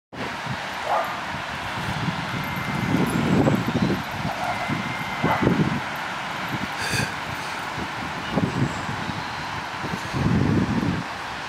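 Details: Spanish greyhound challenging another dog: a few rough, low barks scattered across the recording, near the start of the fourth, sixth and eleventh seconds, over a constant traffic-like rumble.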